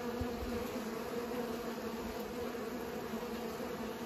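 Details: Pollinating bees drone continuously, a smooth layered hum that holds its pitch throughout, with a brief low thump near the start and faint background rumble.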